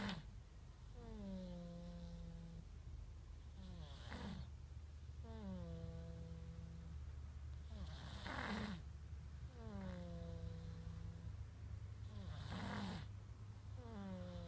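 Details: Cat asleep and snoring, captured with an iPhone 5s: rhythmic cycles of a thin descending whine on the in-breath followed by a soft hissing rush, about fourteen breaths a minute, over a constant low indoor hum.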